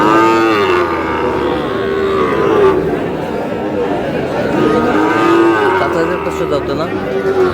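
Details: Small bull calves at a busy livestock market in Madaripur, Bangladesh, in August: several drawn-out, level moos repeat through the clip over constant crowd noise and men talking.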